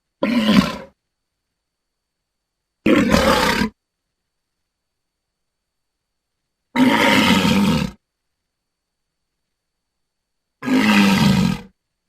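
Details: Walrus uttering four short, coarse grunting roars, each under a second or so, spaced by a few seconds of silence, low and raspy with noisy overtones.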